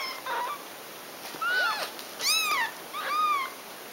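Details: Domestic cats, a mother nursing her kittens: four high, arched meows with rich harmonics, each under half a second, spaced about a second apart over a steady faint indoor hiss.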